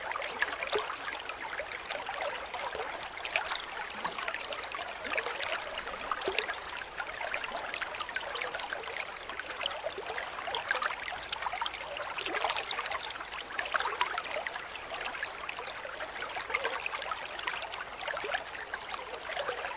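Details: Closely spaced cricket chirps (jangkrik rapat) used as master sound for white-rumped shama training: a rapid, unbroken run of high, clipped pulses that pauses once briefly midway, under a steady trickling hiss.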